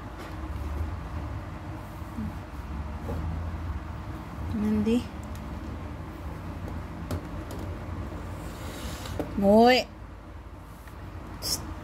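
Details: Mandy, a cat who hates medicine, is being given medication directly into her mouth. Two drawn-out, rising, harmonic meows come about five seconds apart over a low rumbling background with light handling knocks.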